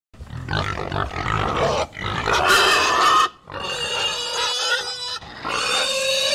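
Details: Herd of pigs grunting and screaming loudly: rough low grunts give way to harsh, shrill screams with broad noisy bursts, several animals calling over one another almost without pause.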